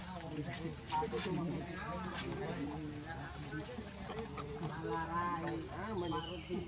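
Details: Hungry baby monkey Leo cries for its mother's milk: repeated harmonic whimpering cries, wavering and slightly descending, with scattered clicks and a low background hum.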